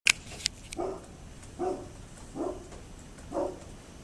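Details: A neighbour's dog barking, recorded on 27 October 2011: four short, single barks spaced about a second apart, each with a faint click or knock heard just before the first bark.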